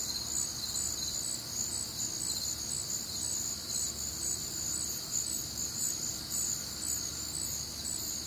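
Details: Warm, humid summer night in the Midwest with crickets in full chorus: bright, piercing chirps pulse quickly and continuously, several callers overlapping, above a low distant hum.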